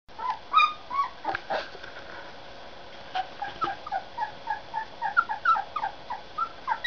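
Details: Puppies whimpering and yipping in a steady run of short, high, thin whines, some rising and some falling, overlapping and repeated several times a second through most of the stretch after a brief pause.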